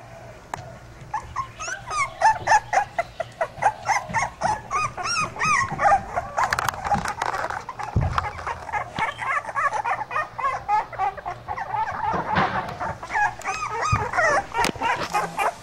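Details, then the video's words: Pit bull puppies whimper and squeal nonstop. Many short, high, wavering yelps overlap at about four per second, rising and falling in pitch, with a few sharper squeaks among them. "cute pitbull puppies"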